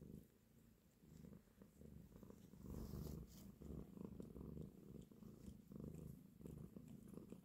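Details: Nursing mother cat caressing her kittens, giving a continuous deep purr in fast, even pulses, louder around the middle, with faint rustling in the background.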